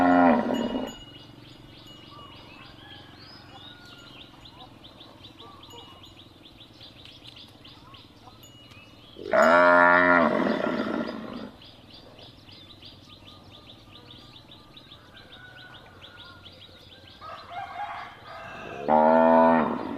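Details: Cattle mooing, a sound meant to be played to find a lost calf: a short moo at the start, a long loud harmonic-rich moo near the middle and another toward the end, with faint chiming and chirping in the background.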